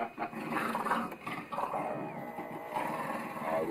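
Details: Two dogs, a Foxhound and a Beagle, waking their owner in the morning to demand breakfast: dense harmonic whines and growly vocalising, wavering in pitch, with a human voice mixed in.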